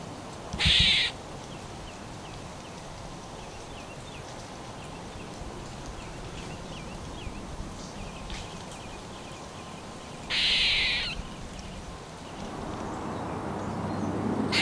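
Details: Eastern gray squirrel (Sciurus carolinensis), squeak.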